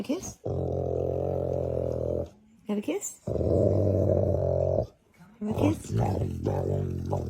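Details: Snoring from a sleeping dog, heard as long, steady, droning breaths lasting about two seconds each, separated by short quiet gaps, ending in a rougher, broken rasp.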